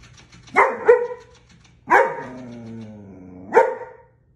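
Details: German Shepherd reacting to a prank, giving drawn-out whining howls: a short double cry, then a long sliding wail that falls and wavers, then a final brief yelp, indoors and otherwise quiet.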